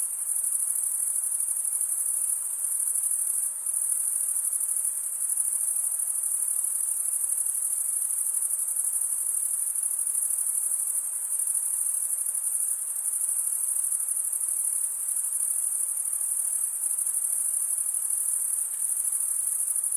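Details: Crickets chirping, males stridulating by rubbing one wing's edge along the toothed vein of the other. A dense, steady, high-pitched trill holds unbroken for the whole stretch, with a faint hiss beneath and no other sounds.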